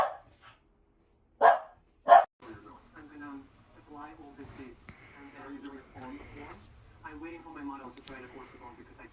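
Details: Two quick, loud dog barks in close succession, followed by several seconds of a person's steady talking with no further barking.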